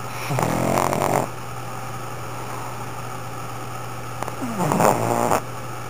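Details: Pug named Sakura snoring heavily, two rough rattling snores about four seconds apart, the second rising into a gurgling snort, over a steady background hum; a brief human exclamation follows.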